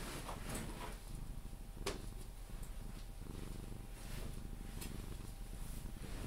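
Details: Pepe, a Sphynx cat, cuddled and purring until falling asleep: a dense low vibrating rumble pulsing evenly throughout, with light rustles and a brief click of handling.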